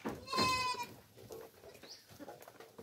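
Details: Farm goat fed coconut pulp (tubuan) lets out one short, strained bleat with a bright harmonic tone, then quieter clatter and faint movement noises.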